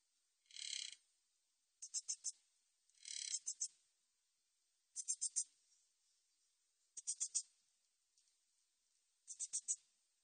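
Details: Min's bush cricket calling, recorded in 2020: high buzzy insect bursts, a smooth rasping burst followed by clusters of three or four sharp ticking pulses, repeating roughly every two seconds with silence between.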